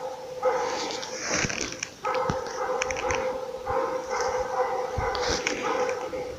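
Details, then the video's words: Laika hunting dog baying at a moose during an elk hunt, heard from some distance: a dense, almost unbroken run of rapid barks on a steady tone, with a few sharp clicks and snaps nearby. "Охота на лося с лайкой ELK HUNTING"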